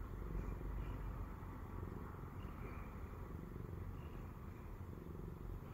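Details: A Siamese cat purrs in a low, steady, rumbling throb while climbing onto a person's belly.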